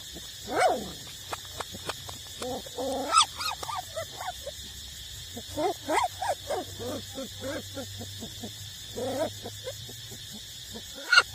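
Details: Nursing street puppies, eight weeks old, feeding from their mother; a busy run of squeaky whines and short yelps, several sliding downward, closely spaced with brief pauses, over a constant background hum.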